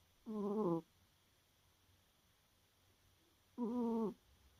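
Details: Pet cat fast asleep and snoring before dawn: two matching buzzy, humming snores, each about half a second, spaced roughly three seconds apart like slow breaths, with near silence between them.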